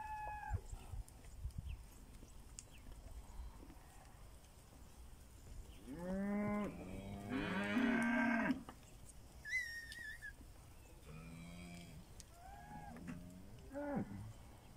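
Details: Several Pinzgauer cattle on their way to summer pasture on a rainy South African morning, lowing in turn: long, wavering moos, some rising then falling, with a brief higher squeal midway and light background clatter.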